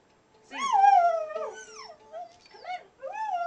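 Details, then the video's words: Pet dog singing to a ukulele: a long bending howl rising then falling, followed by short howled yelps, with a steady plucked ukulele note underneath. "Dog singing!"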